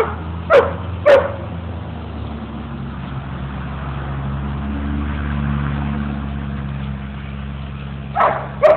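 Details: Mookie and Maeby, two dogs at play in Bassett Park, Hamden, Connecticut; a pair of quick barks early on and another pair near the end, over a constant low rumble of passing vehicles.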